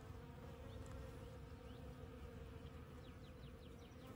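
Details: Bees foraging on fresh desert blooms after the rains, Monday morning: dense continuous wing-buzz drone, with a series of short high rising bird chirps near the end.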